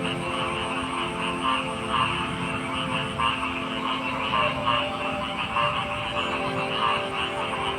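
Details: Frogs calling together in a dense chorus; short bright croaks pop out at irregular moments over a steady layered drone and a continuous high hiss.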